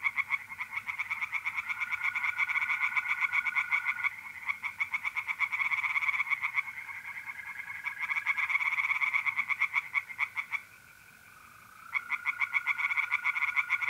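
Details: Tree frogs singing in a pond on a mid-April night in north-east Italy: fast, rasping pulse trains repeated in long bursts with brief pauses, over the steady, even trill of mole crickets.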